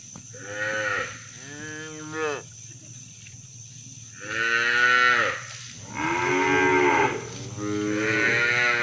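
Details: Free-roaming village cows calling their friends to return to the barn: a string of mooing calls, two shorter lows early on, then three longer, rich moos spaced about a second apart.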